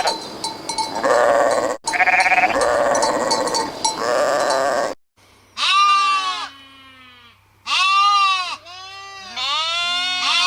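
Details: A flock of sheep bleats in a dense chorus, then single high, quavering bleats follow one by one, each about a second long, over a low steady hum.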